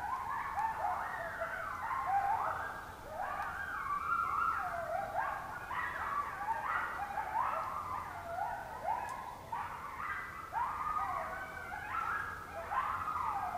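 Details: Several coyotes in Oklahoma, October 2016, howl at close range, a group chorus of quavering descending wails and sharp yips layered over one another continuously, each voice sliding down in pitch.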